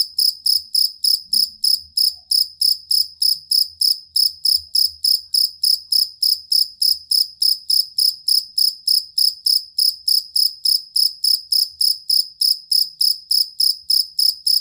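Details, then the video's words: Cricket of the kind called jangkrik kalung or jangkrik aduan, played to train songbirds: a stable, long run of bright, shrill chirps, evenly spaced at roughly three or four per second, with nothing else audible. "Suara Jangkrik Master Burung"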